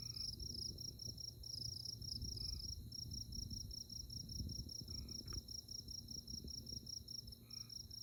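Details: Insects chirp in a steady, high, shimmering trill on a moonlit night in tallgrass prairie at Konza Prairie near Manhattan, Kansas, over a low background rumble.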